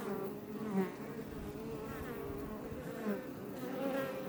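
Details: Outside a Langstroth hive in south Tarragona, Spain, Iberian honey bees hum in a continuous busy drone, with short pitch-bending whines from bees flying close by, several nearby passes.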